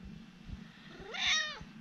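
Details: Urara, a friendly former rescue cat, chatting with her owner: one rising, drawn-out meow with bright harmonics that swells and then falls away, over a faint low hum.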